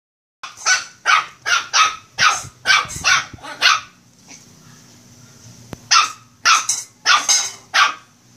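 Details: Shih Tzu puppy, a pet, barking while playing: a run of eight sharp high yaps about every half second, a pause with faint low hum, then four more quick barks.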